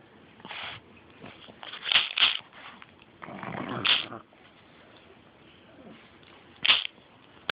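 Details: Beanie, a female pet pug, snorting into the camera: short, noisy, breathy bursts, including a quick double snort and one longer, rougher snuffle, scattered over about seven seconds with quiet gaps between.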